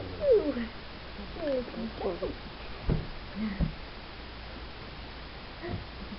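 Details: Wheaten Terrier puppies, four weeks old, indoors: a few high, sliding whines that fall in pitch, two of them clear near the start, followed by softer squeaks and a quiet room with faint voices.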